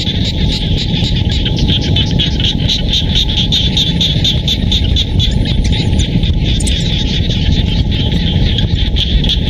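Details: Frogs calling in rice-field countryside near Siem Reap, Cambodia: a dense chorus of rapid pulsed calls repeated steadily throughout, over a constant low rumble of wind or distant traffic.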